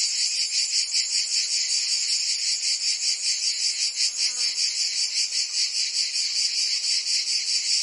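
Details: Cicadas singing in summer in Provence, France: a dense, continuous high buzzing chorus with fast pulsing throbs, steady loudness throughout, no other sounds clear.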